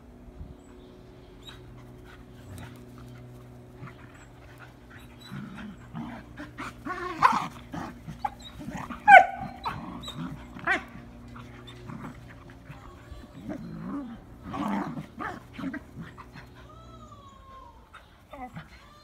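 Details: Irish Terrier in spring: soft whimpers and snuffling, panting breaths that build toward the middle with a few short high squeaks, then fade again over a steady low hum.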